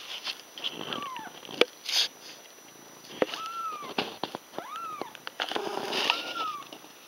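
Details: Litter of six Ragdoll kittens aged five days with their mother: a run of about five thin, arched mews, each rising then falling, spaced roughly a second apart, over soft rustling and small clicks.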